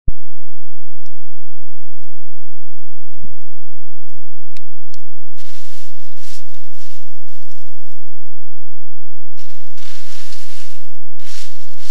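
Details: Low rumble, scattered clicks and bursts of wind-like hiss, with no animal calls. Two longer gusts of broadband noise sweep through, but no animal calls stand out above them.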